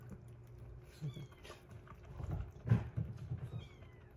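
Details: Rescued kitten, day 47 of a growth record, kept indoors where one kitten eats weaning food while a baby cat drinks milk; two thin, high meows sliding downward about two seconds apart, with chewing, rustling and bumping noises in a small room.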